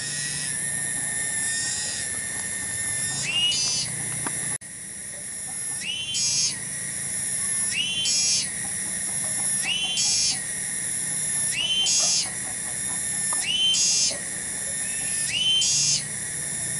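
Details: A loud tonggeret cicada in a village garden at Bungursari produces an unbroken piercing drone. The drone swells into a brighter, rising burst about every two seconds. A brief break occurs early on before the cycle resumes steadily.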